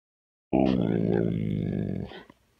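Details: Gizmo, a talking dog asking for breakfast indoors, lets out a single drawn-out, low, groaning grumble lasting about a second and a half, rich in harmonics, that cuts off sharply; a person talks afterwards.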